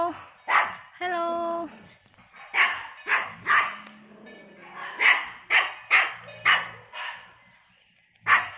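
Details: Barks from a third-generation poodle walking in the morning around a housing complex: sharp, evenly spaced barks, roughly eleven in all, broken early by a drawn-out tonal whine, with human voices faintly mixed in.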